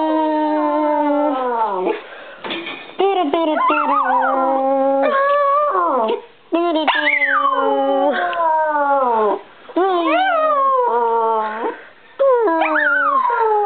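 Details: A pet Bichon Frise named Brie singing: long tonal howls that slide downward, each held a second or two, broken by short yips and whimpering rises, with brief pauses between phrases.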